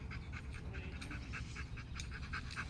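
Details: Rapid, quiet panting from Macho, a Rottweiler at play during fetch, each short breathy puff following quickly on the last in an even rhythm, with a low rumble underneath.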